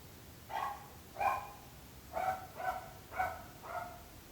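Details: Dog barking in a neighbourhood: six short, sharp barks spaced about half a second apart, each with clear layered tones, against a quiet steady background hiss.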